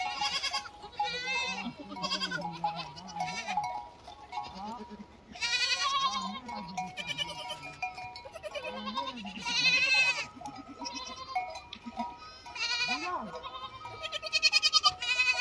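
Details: Lambs give loud, vibrating bleats in separate bursts a few seconds apart, some rising and falling in pitch, over steady ringing tones that run through the background.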